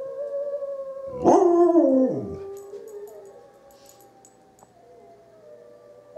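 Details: Izzie, a dog, howls in answer to wolves: a loud wavering howl rising then falling near the second mark, over fainter sustained howls from other animals in the background.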